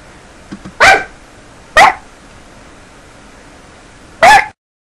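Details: Three loud, abrupt dog barks, two close together near the start and one more after a pause of over two seconds, preceded by faint soft sounds, ending in sudden silence.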